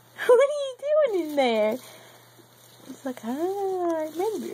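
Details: Several drawn-out meows from Tiger, a male house cat playing from inside a bag, each rising then sliding down in pitch, the series broken by a short pause and light patter of movement.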